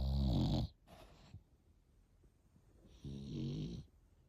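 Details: Sleeping French Bulldog, eight months old, gives a deep raspy snore, a brief snort, then a quiet stretch before another rattling low snore near the end.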